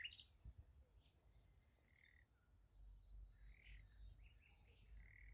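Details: Night crickets by a sunflower field give short, high, trilled chirps repeated roughly twice a second, over soft low-frequency rumble and a few faint, brief warbling notes in the middle range.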